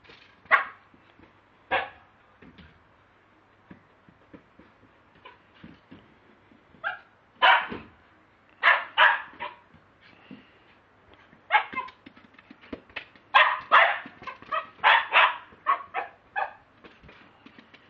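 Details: Lakeland Terrier kept as a pet, filmed on a mobile phone, giving scattered sharp barks with quieter yips between, bursts bunching together in the second half.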